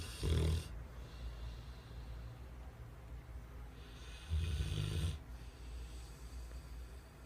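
A Rottweiler snores in deep, rumbling rasps, each breath drawn out for about a second.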